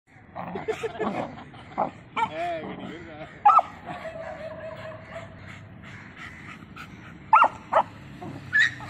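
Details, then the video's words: An American bully and a beagle fighting, with the beagle dominating; short tonal yelps and whining growls come in irregular bursts, mixed with people talking throughout. "American bully fight beagle and bully fight"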